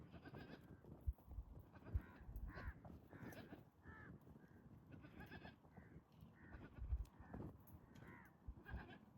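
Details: Goats in mating season, males courting pregnant females with strange sounds and competition; repeated short nasal bleats, several overlapping, at irregular intervals of about one second, with low rumbling background noise throughout.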